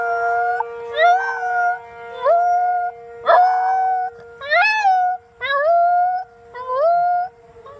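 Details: Shiba inu howling in answer to a monthly siren test: a steady siren tone runs throughout while the dog gives about six long drawn-out howls, each sliding upward at the start, then holding level, separated by short breaths.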